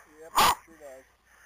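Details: Corgis at Corgi Country, turned loose from the yard after the horse shoer's visit to hunt for hoof trimmings; one sharp, loud bark, with a man's voice talking before and after it.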